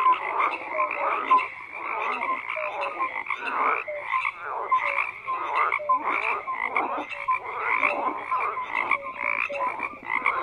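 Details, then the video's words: Many frogs croak at once in a thick, continuous chorus, rapid pulsed calls repeating every second or so with brief tonal notes woven through, no break in the calling. "FROGS CROAKING"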